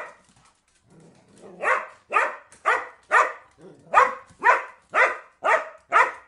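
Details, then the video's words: After a faint low whine, a dog breaks into regular barks about twice a second, each bark sharp and bright with a quick fall. "PERRITOS LADRANDO"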